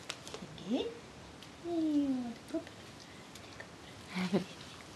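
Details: Jersey Girl, an adult dog, with a 5-week-old puppy: a brief rising whimper, then a longer falling whine lasting about half a second, and one more short whine near the end, amid quiet background talk.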